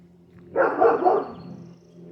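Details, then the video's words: Neighbouring dogs give a short burst of loud, rough woofs from a nearby yard in suburban Colorado Springs. "Sorry, you can hear my neighbor's dogs."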